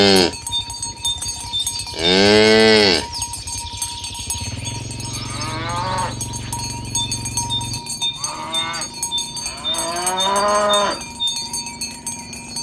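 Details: Dozens of fat cows walking along a village road toward green grass in the morning: several moos, one loud and rising, then shorter, lower lows, over constant clanking cowbells.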